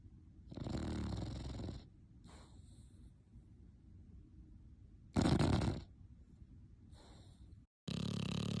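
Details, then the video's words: Sleeping dog snoring loudly: harsh, rasping broadband snores of about a second each, separated by softer noisy breathing, with a louder snore near the middle and another beginning at the end. "cute dog snoring loud when sleeping"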